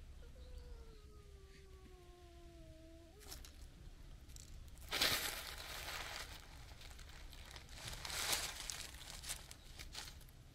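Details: Stray black kitten joining a cat gathering outdoors: one drawn-out, slightly falling meow lasting about three seconds, followed by rustling and crinkling noises.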